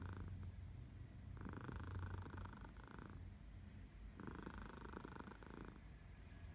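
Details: Sleepy morning purring from Minnie, a house cat in Barcelona in August, with cat Elsa in the background; low throbbing rumble alternating between softer and louder buzzy phases, two strong swells heard.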